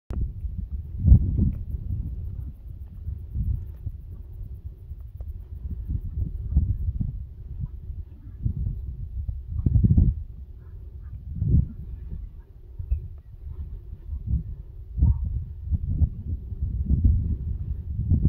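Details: Angry cows at Gunsight Pass near Roaring Fork, Wyoming, give low, rough moos in short bursts every few seconds.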